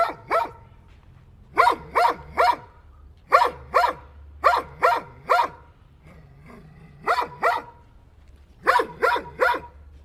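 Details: Dog barking in bursts of two or three sharp, loud barks separated by short pauses, each bark harmonic-rich and mid-pitched, with a quiet low hum underneath.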